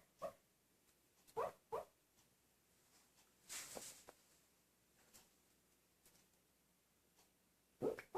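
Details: A male Italian Greyhound, asleep and dreaming, gives soft, muffled woofs, short single barks spaced irregularly.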